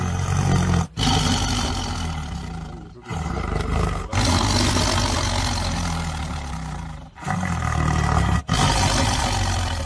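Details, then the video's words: Tiger eating meat, giving deep, rasping roars that run on for seconds at a time, broken by short silent gaps near one, three, four, seven and eight seconds. "tiger eating meat"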